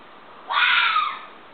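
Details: A single fox scream: one drawn-out, hoarse shriek of about half a second, starting abruptly and fading as it slides downward, with quiet hiss around it.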